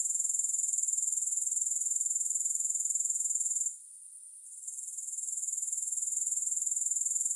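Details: Grasshopper sounds free of music: a high, rapidly ticking trill holds steady, falls into near silence for about a second midway, then climbs back in and continues evenly.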